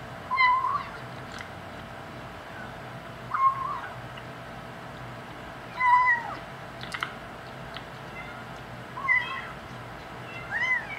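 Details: Five-week-old kitten talking while eating the big cats' dry food: short rising mews, five of them, spaced about two to three seconds apart, with crunching of kibble between cries and a faint background hum.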